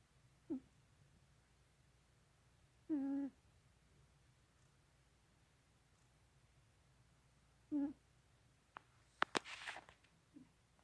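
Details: Sleeping Florida cat Novinha snoring quietly, three soft low breathy snores spaced several seconds apart, followed near the end by a few faint clicks and rustles in a quiet room.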